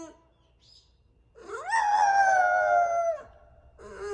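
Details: Haru, a French Bulldog singing into her new microphone, rises into one long steady howl of about a second and a half, then trails off, with a brief whine after.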